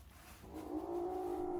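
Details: A very young kitten, one of three siblings sheltering at a house after a night of downpour, gives one long, drawn-out complaining meow with a steady, slightly wavering pitch while a nest of dry wood shavings is spread around it.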